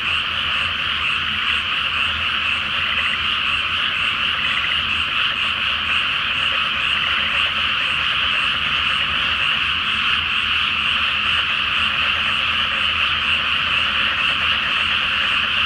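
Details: Dense frog chorus at night over a flooded rice paddy before planting, under a full flower moon in Japan; countless overlapping croaks merge into a continuous pulsing rattle, steady and loud throughout.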